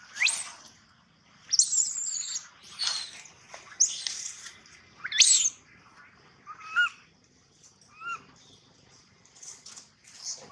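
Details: Distressed baby monkey crying loudly for a long time, shrill high-pitched shrieks coming roughly every second, some rising sharply, followed by a few softer, lower wavering whimpers near the end.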